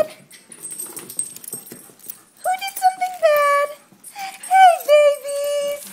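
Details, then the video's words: Dogs whining in greeting on coming home to a house in Houston, Texas, in midsummer: a dachshund, an old beagle and a mixed-breed mutt. High, tonal whines sliding around pitch come in bursts between a woman's voice and indoor rustling. "Coming home to puppies"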